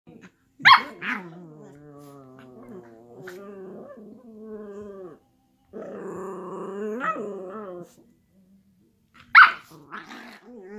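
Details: Miniature schnauzers rough-housing on a couch: long harmonic growls, some wavering and rising into whiny tones, broken by two short sharp barks near the start and end, with a quiet gap in between.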